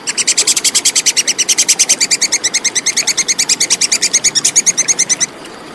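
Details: Clear call of a plantain squirrel (tupai kekes), meant for training competition songbirds: one unbroken run of fast, high, dry chips, roughly eight each second, lasting over five seconds before stopping abruptly.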